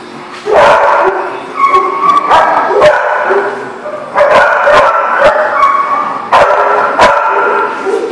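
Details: Dog barking, recorded 5/11/18: loud, harsh barks and higher yips come in close bursts, some with a whining, tonal edge, repeating about every second over eight seconds with short gaps between runs.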